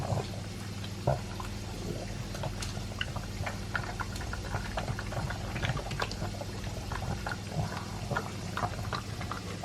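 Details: A Pug named Elvis, two years old, eats his dry food with a chunk of beef. Steady bursts of crunchy chewing and smacking continue throughout, over a persistent low hum.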